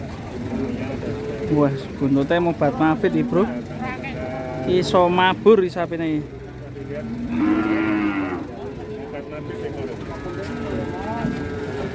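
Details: Rampaging sacrificial qurban cow: a long, hoarse bellowing moo follows a stretch of excited, overlapping human shouting, with steady background rumble throughout.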